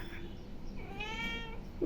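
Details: A pet cat, hungry, gives a brief, bright meow while a person speaks softly nearby.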